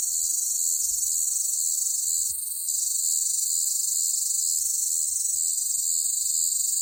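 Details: A steady, intense shrill buzz of cicadas on a hot summer day, unbroken and very loud, dipping briefly in intensity once before resuming.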